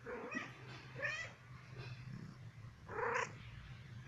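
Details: Indoor female cat, aged one, in a playful mood asking for affection, makes soft chirrupy meows over a low steady purr, ending with a brighter short meow.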